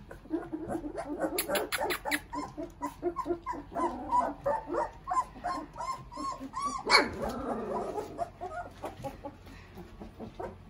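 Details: A litter of three-week-old puppies keeps up a busy chorus of short squeaks and whimpers, tightly overlapping and irregular, with a louder rising yelp near the middle and quieter squeals afterward.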